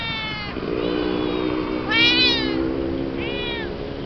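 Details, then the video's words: A new kitten meets the yellow cat on the yellow cat's own territory; several high, harmonic meows rise and fall, with a strong cry near two seconds and a shorter one near three and a half, over a steady low hum. "Kitten Meets Cat"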